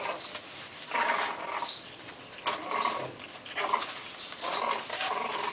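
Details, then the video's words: French Bulldog puppies at a kennel giving short, high, whining yelps in bursts roughly every second or two, separated by brief pauses, over a steady background hiss and faint rustling. "bebes de bulldog françês"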